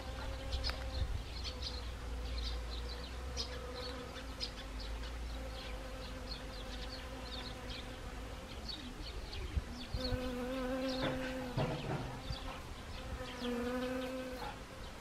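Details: Honeybees foraging on Siberian chrysanthemum flowers in autumn, Gangwon Province, Korea, 1 October 2020: a steady droning buzz with hum bands near 250 and 500, swelling as bees pass close, over low wind rumble.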